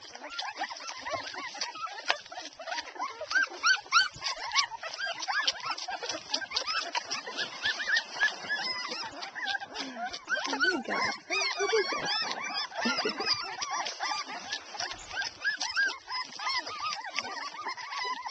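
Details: A litter of twelve Airedale Terrier puppies, two and a half weeks old, nursing: a dense continuous chorus of overlapping high squeaks, grunts and whimpering squeals, rapid and jumbled, with suckling noises throughout.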